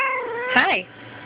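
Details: Kitty, a female domestic cat given to violently attacking her own tail, filmed on a Sprint Evo; a single drawn-out meow slides downward then swells into a louder wavering cry before breaking off, with human speech overlapping.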